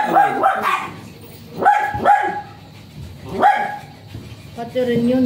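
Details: Japanese Spitz dog at a stud service in Aringay, La Union, giving three bursts of high, clipped barks about a second and a half apart, with a human voice starting near the end.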